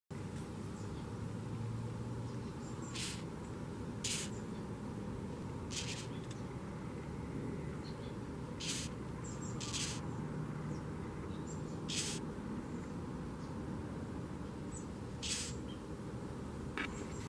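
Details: A ten-lined June beetle (Polyphylla decemlineata), poked as a threat, gives short, breathy hissing bursts at irregular intervals over a low rumble, made by forcing air out between its back and wings.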